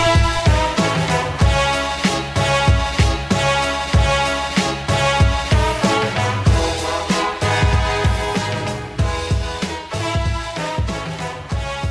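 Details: Loud upbeat funk-style music with a driving rhythmic beat fills the whole stretch, with no animal sound heard.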